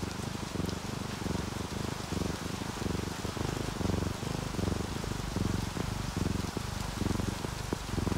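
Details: Sleeping domestic cats, an orange tabby and a calico, purring when relaxed; a low pulsing purr runs steadily beneath heavier rain falling and splashing on a surface.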